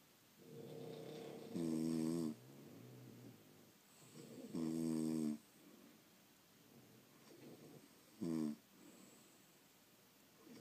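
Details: French Bulldogs sleeping at home: rough, vibrating snores come in short bursts, the last one clipped and brief, with soft nasal breathing filling the gaps.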